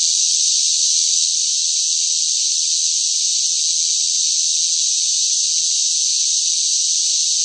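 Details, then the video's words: Summer cicadas buzzing noisily in intense heat, one seamless high, hiss-like drone, slightly louder in the first second, then level, with no other sounds present. "뜨거운 무더위 속 시끄러운 매미 울음 소리"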